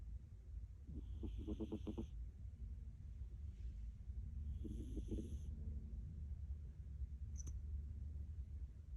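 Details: Milk, a pet Munchkin cat known for heavy snoring, asleep: two rattling snores near one and five seconds in, each a rapid burst of low, fluttering pulses, then slow quiet breathing and a faint click near the end.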